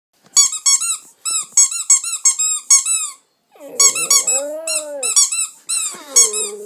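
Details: A two-month-old Staffordshire Bull Terrier puppy 'sings' while being played with using a toy, giving high, squeaky whines that stretch into a wavering, howl-like wail. Staffordshire Bull Terrier.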